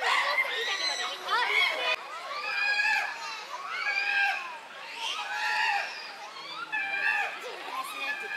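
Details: A chimpanzee group at Tama Zoological Park in an uproar, June 2022: repeated bursts of arched, rising-then-falling screams, roughly one outburst every second or so, with several voices overlapping and softer murmurs between.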